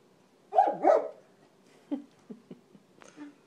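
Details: Two dogs playing indoors, a 4-month-old Basset puppy and an almost 15-year-old Labrador: two loud overlapping bark-growls near the start, then a few short soft yips and a brief whine.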